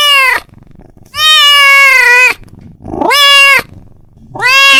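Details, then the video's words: A male domestic cat gives long, drawn-out meows, each held about a second, calling to his friend. "The sound of a cat calling his friend"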